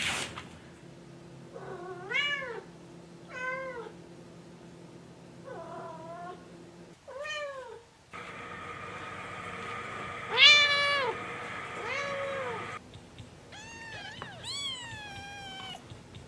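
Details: Domestic cat giving a series of short, rising-falling meows, several spaced a second or two apart, then a longer sustained meow and more quick meows near the end, over a steady low indoor hum; people talk nearby.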